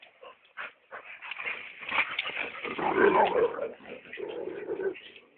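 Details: Hugo, a chocolate brown Labrador Retriever, whimpers and yips excitedly in a dense, uneven run of short cries while a person coaxes him, calling out come and go.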